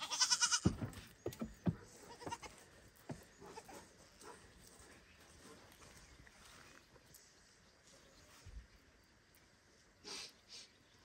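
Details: A young male goat gives a loud, strained bleat calling for his mother, then scattered knocks and rustling as he gets stuck under the barn; he calms only when she answers.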